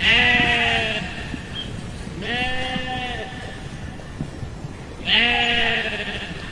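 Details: Sheep bleating three times, each a drawn-out wavering baa about a second long, spaced two to three seconds apart, with faint background rustle between calls.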